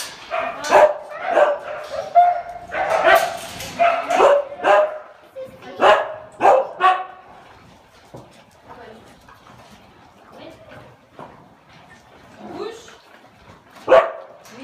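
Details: Huskies at feeding time, loud clustered barks and yelps for the first eight seconds, then sparser, quieter yips and one sharp bark near the end.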